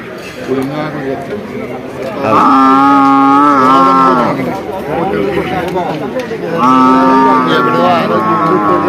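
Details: Large male water buffalo giving two loud, drawn-out moos of about two seconds each, steady in pitch and several seconds apart, over a background of people talking.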